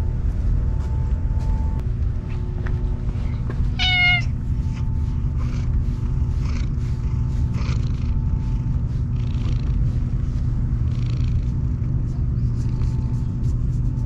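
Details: Ear-tipped stray cats, neutered under a trap-neuter-return scheme, eating Kalkan, Sheba and Churu on a hot day. One short, clear, harmonic meow rises and falls about four seconds in, over a steady low rumble, a faint constant hum and soft chewing clicks.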